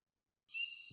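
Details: Spring peeper advertisement call, given by males to attract females, which respond to locate the vocalizing males; a single high-pitched steady whistle starting abruptly, played back during a talk on Kentucky's early spring breeding frogs.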